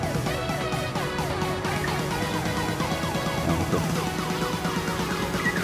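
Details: Continuous dense background music with steady beats and harmonic tones, with no animal sound heard.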